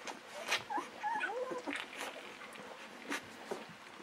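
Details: Newborn Golden Retriever puppies, 11 to 13 days old, whimpering: thin, high whines that bend up and then slide down, several short squeals in a row, over soft clicking and rustling bedding.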